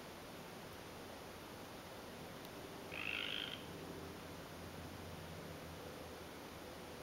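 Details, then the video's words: A tree frog in winter in Canada, recorded February 12, 2013, gives one short, high, rasping trill against a steady hiss of background noise. "Sound of Tree Frogs in Winter / Canada"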